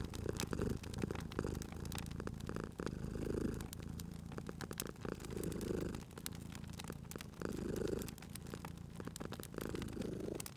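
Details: Low purring from a sleeping cat at a fireplace in a cozy spring atmosphere, the rumble rising and easing in regular breaths about every two seconds, constantly overlaid by crackling, popping firewood.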